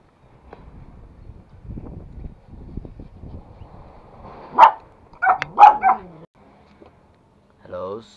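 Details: Pet toy Pomeranian, one of two dogs kept at home, lets out a short run of sharp, high barks after several seconds of quiet human talk; four quick yips about half a second apart, then a person speaks again.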